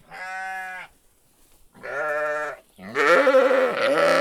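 A sheep gives three wavering, nasal bleats, the last one louder and longer.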